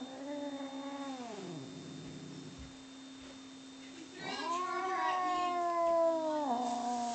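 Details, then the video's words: Bono and Mickey, two cats in a fight, trade long wavering yowls: a falling moan in the first second and a half, a low growl, then a louder rising, sustained howl from the fourth second, all over a constant hum. "Bono & Mickey Cat Fight"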